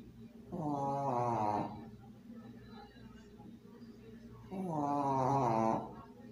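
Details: A female pug snores while sleeping with her plush toy, two long, rasping breaths about four seconds apart.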